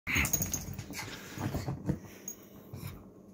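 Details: Female teacup Chihuahua puppy in the morning making soft snuffling, wheezy breaths and brief low whimpers in quick irregular bursts, fading toward the end.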